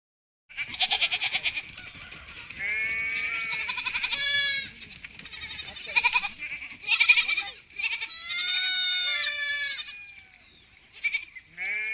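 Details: Several sheep on a farm bleating in a busy, overlapping chorus: wavering, nasal calls, some long and quavering, others short, crowding one after another with hardly a pause.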